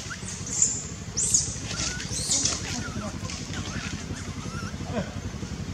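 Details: Young Cambodian monkey Dustin cries for his lost mother, with his brother David looking after him: three thin, piercing high squeals spaced about a second apart, softer lower wavering notes after, over constant low rumbling noise.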